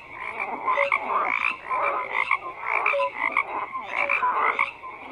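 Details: Many frogs calling at once, a thick wall of grating croaks punctuated by brief pure-toned notes, rising and falling in loudness every second or so.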